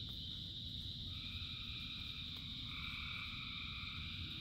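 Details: Massed frogs singing in rain, a sustained high ringing chorus joined by two overlapping trilled calls that start and hold near the end, with rainfall rumbling low throughout.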